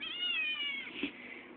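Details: Hungry eight-week-old male Maine Coon kitten calling for food: one long, steady, slightly falling meow lasting almost a second, followed by a soft click, over a low indoor hum.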